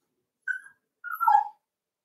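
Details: A Cavalier King Charles Spaniel puppy playing in an indoor home pen gives a brief, thin, high whimper, then a longer squeaky whine that slides downward and ends in a lower, rougher tone.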